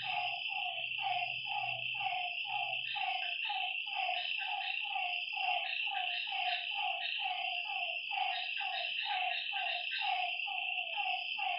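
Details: Frogs calling at night by a lake: a steady run of short, throaty notes that dip in pitch, about three each second, over a constant high insect drone, with a low hum in the first three seconds.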